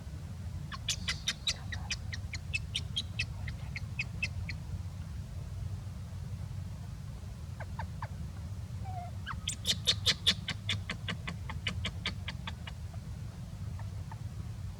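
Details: A sleepy young wild monkey resting gives gentle, quick runs of short, squeaky chirps over a low background rumble.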